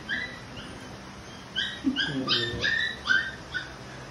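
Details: Stubborn Labrador giving a quick series of thin, high whimpers, some bending downward, roughly three per second, while a low voice murmurs briefly in the middle.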